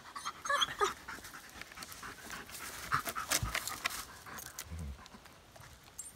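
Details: Odin, a dog on a fall 2017 backpack camping trip at Devils Den, Arkansas, meeting another dog and hiker on the trail: quick breathy panting, roughly four breaths a second, uneven, over rustling and scuffing noise.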